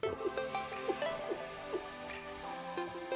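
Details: Electronic dance music with a bouncing synth melody and steady beat plays throughout, with no animal sound heard.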